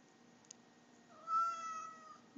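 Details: Domestic cat meowing indoors while talking to its owner: one drawn-out, level meow of about a second, with faint speech before and after.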